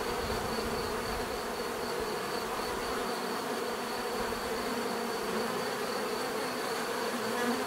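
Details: Dense, constant drone of bees buzzing together, a smooth layered hum without pauses and a thin high-pitched whine running above it.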